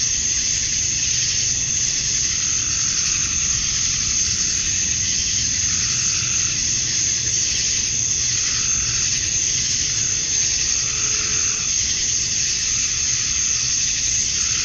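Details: Summer-night cicada chorus at dusk in Georgia, USA, males calling to draw females: an unbroken shrill hiss-like drone that pulses softly every couple of seconds, and a faint low background rumble.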